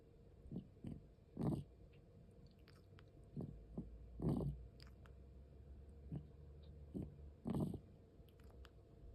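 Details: Asthmatic domestic cat, 13 years 4 months old, breathing indoors: low, rough, rasping breath bursts with strong peaks about every three seconds and softer wheezy puffs between them, over a quiet room hum.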